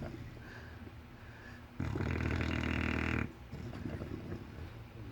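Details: Sleeping English Bulldog lets out one long, rough, low rumbling snore lasting about a second and a half, with quieter breathing noises before and after.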